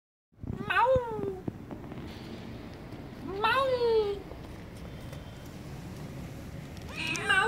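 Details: Timid kitten living on a vent hole, giving rising-then-falling harmonic meows at about one, three and a half and seven seconds, with a soft background hiss between calls.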